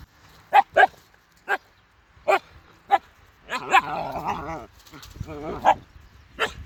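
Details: Small Siberian Husky pup barking at sheep with a string of about seven sharp, yippy barks. A long warbling, howl-like whine interrupts the middle of the run.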